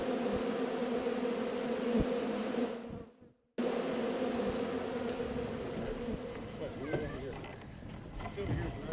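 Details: Honey bees from a swarm being moved to a new location give a continuous dense droning hum. It breaks off briefly near the middle, then returns with faint human voices and handling noises.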